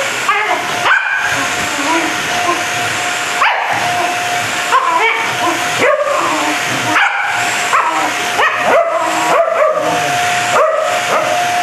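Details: A Corgi barking because it wants to play with the vacuum cleaner during cleaning. Short, sharp barks repeat about once a second over the loud, steady roar of the running vacuum.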